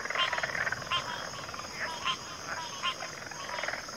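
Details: Many frogs calling together in a backwater, layered grating croaks and pulsed trills rising and falling in intensity, punctuated by several sharper individual calls, while a constant thin high drone runs underneath throughout.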